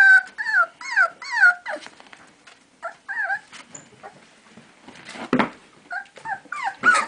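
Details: Four basenji puppies, 4 weeks old, playing together give bursts of high, wavering whines and yodel-like yips in rapid sets of notes.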